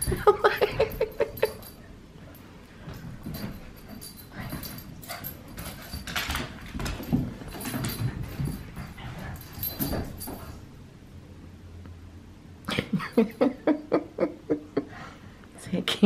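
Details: Australian Cattle Dog puppy named Sully during an indoor play session with older female dogs; bursts of high, rapidly repeated yelping whimpers at the start and again near the end, with scuffling and thumps of play between.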